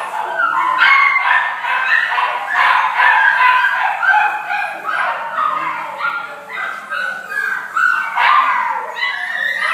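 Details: Yorkshire Terrier giving rapid, high yips and whimpering calls, around two per second, some rising and falling in pitch, with a voice possibly in the background.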